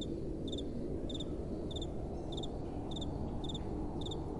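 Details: Crickets chirping after dark, their sharp doubled notes evenly spaced a bit more than half a second apart, with gentle wind blowing as a broad background wash.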